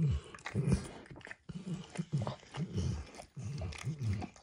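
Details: On a bumpy orange mat, Max the dog licks up eggs and diluted peanut oil. Heavy, wet, slurping laps come in quick clusters with a short gap in the middle, close to the microphone in a quiet room.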